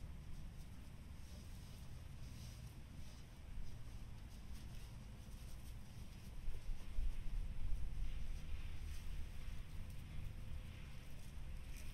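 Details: Low rumbling wind and outdoor noise continue steadily, with faint soft knocks and no clear animal call.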